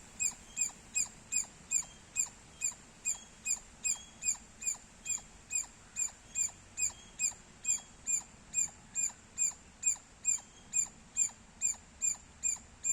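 A squirrel chirps in sharp, high, clicking notes, repeated steadily more than twice a second.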